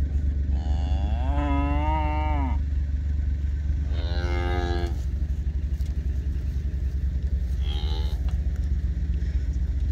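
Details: Black Hereford calf on a farm, being processed and weighed on a calf scale; three drawn-out nasal bawls, the first longest and wavering, over a loud constant engine rumble.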